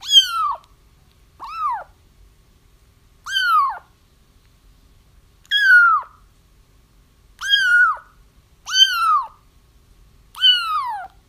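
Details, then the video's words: Kittens crying, used to help trap a feral mother cat whose kittens were already found: high arched mews with rich harmonics, each rising then falling, repeated every one to two seconds, seven cries, quiet indoor background. "30 minutes of Kittens Crying"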